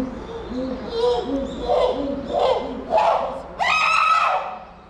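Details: Chimpanzee Puteri crying out at Tennoji Zoo in December 2021: a run of low hooting calls that climbs in pitch and loudness, breaking into a loud, harsh, drawn-out scream near the end, with faint bird chirps behind.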